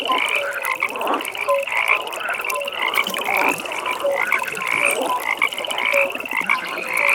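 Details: Frogs calling together at a pond in the evening: a dense chorus with a steady high, fast-pulsed trill running throughout, short low croaks repeating roughly once a second, and scattered mid-pitched notes overlapping in a soft nighttime ambience.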